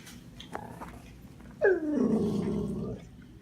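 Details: A dog calling for attention in the morning with a drawn-out, descending groaning howl likened to Chewbacca, lasting about a second and a half, after a few faint clicks in a small indoor room.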